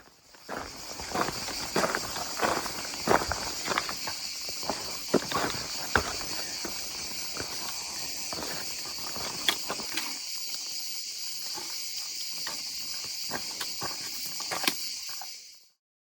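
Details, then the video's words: Cicadas in southern France, on a hike from the Cévennes towards the Larzac, give a steady, high-pitched buzz throughout, with crunching footsteps on a trail over it. "Ça commence franchement à sentir le sud. Écoutez les cigales."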